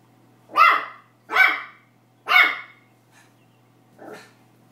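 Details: An excited Pomeranian puppy attacks a tennis ball, barking for the first time. Three bright, high yaps come about once every 0.8 seconds, then two softer, shorter yips, with a faint steady hum behind them.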